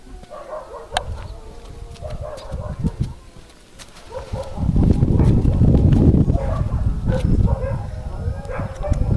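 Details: A male Siberian husky gives a run of short, yodelling moans and yips over low rumbling noise.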